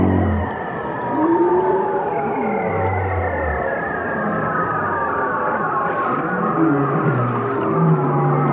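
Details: Whale song: layered low moans and slow gliding tones, some rising and some falling, with a steady murky underwater rumble beneath and no silent gaps.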